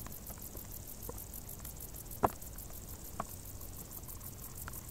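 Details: Crickets in tall grass on a hot summer day, a fast, even high pulsing running steadily throughout, with scattered soft clicks and ticks and a low background rumble.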